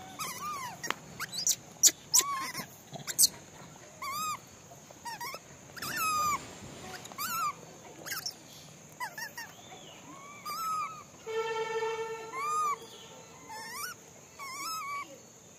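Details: Monkeys being fed give short, squeaky arched calls in quick bursts, with one longer, steadier harmonic cry midway.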